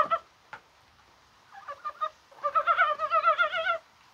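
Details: Dybowski's brown frog calling in rain on a spring-like 21 January day: a few short pulsed clucks, then a longer run of rapid, chuckling croaks with a rich, harmonic tone.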